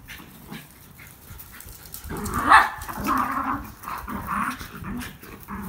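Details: Schnauzers, two pet dogs indoors, excited by a squirrel visiting close at the window; quiet start, then from two seconds high whining yelps and whimpers rising and falling in short bursts.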